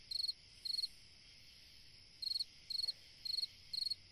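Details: Cricket singing on a summer night, close and clear: crisp high chirps of several rapid pulses each, spaced about half a second apart, with a one-second gap midway, over a faint steady hiss.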